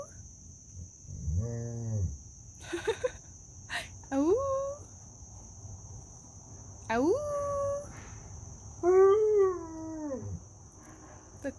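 A Great Pyrenees gives long, drawn-out moaning calls that sound like a cow's moo.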